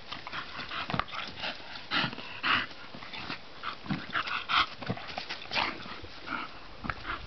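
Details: Bonita, a bulldog, playing in the sun: short broadband huffs and yips in uneven bursts, louder pulses near two and a half and four and a half seconds, faint whimpering tones between.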